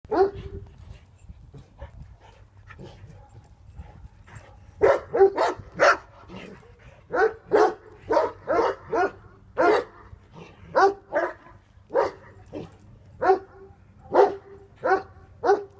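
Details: Tornjak, a Bosnian-Croatian livestock guardian dog, barking steadily: after a few seconds of low background rumble and quiet sounds, a long run of deep barks roughly every half second to second, some in doubled bursts.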